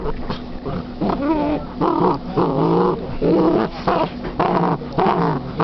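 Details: Female Basset hound playing with her new toy indoors, making throaty, whining growls in short irregular bursts, some rising and falling in pitch, with brief pauses between.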